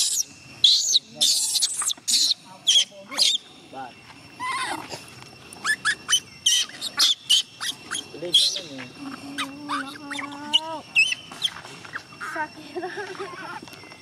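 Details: Gina, a small chimpanzee, cries to stop her carer from leaving for home; piercing high screams in rapid uneven bursts, later softer whimpering wails, with people speaking nearby throughout.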